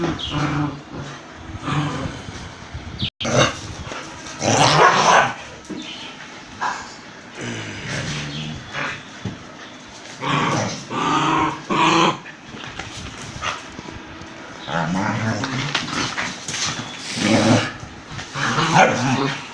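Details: Indian breed dog attacking a German Shepherd: bursts of harsh growling, snarling and barking come in irregular clusters through a noisy scuffle.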